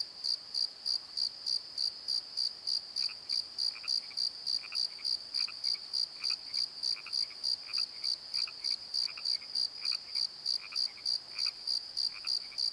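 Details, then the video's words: Crickets at night in a valley at Pozo give a fast, even, high chirp about three times a second, while softer mid-pitched frog croaks join in from the middle onward. "Crickets and Croaks! Pozo Night Tree"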